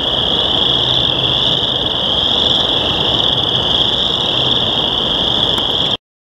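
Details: On a warm spring day after heavy rain, chorus frogs in local wetlands give their mating call, blending into a dense, steady, high-pitched, deafening trilling wall of sound; chorus frog.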